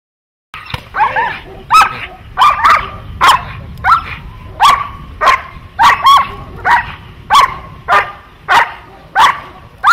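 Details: Dog in protection training barking hard and steadily, about a dozen sharp, ringing barks spaced roughly every half to three-quarters of a second, with little else beneath.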